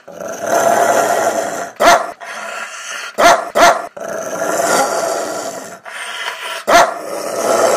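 A Rottweiler growls steadily in a rough, rumbling drone, broken by a few sharp, explosive barks.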